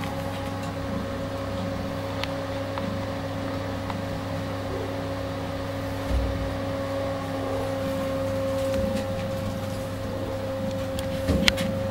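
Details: A steady mechanical hum, like a fan or appliance running indoors, fills the recording. A few faint clicks and knocks occur, but no animal voice is heard.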